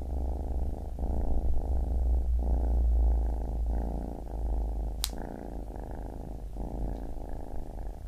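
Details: A baby kitten purrs closely in rapid rumbling bursts, inhale and exhale phases audible in turn, with a brief sharp click midway.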